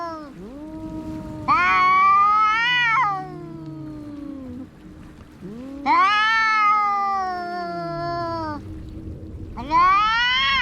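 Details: Cats in a fight: low growling moans sliding downward, broken by three loud rising-falling screeching yowls roughly every four seconds, each held for a second or more.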